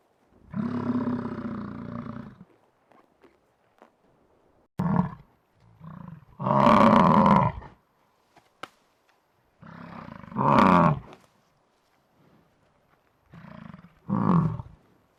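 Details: American bison bellowing: several drawn-out, growling roars lasting one to two seconds each, spaced a few seconds apart with silence and a few short grunts between them.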